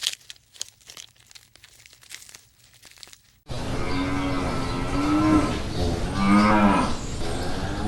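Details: Cow mooing: after about three seconds of faint crackling near-silence, a loud, drawn-out, harmonic-rich moo begins, its pitch wavering with a rise and fall, and it continues to the end.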